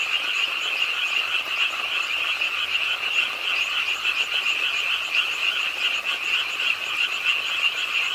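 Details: Rainy-night frog chorus from a pond in an urban park in Suwon, South Korea; rapid, rolling croaks from many frogs blend into a continuous trill, with small rises and dips in loudness.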